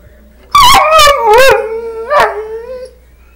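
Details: Domestic dog chatting with wolves shown on a screen, giving a short run of three quick yelping notes. A longer wavering howl-like whine follows, falling and then holding steady.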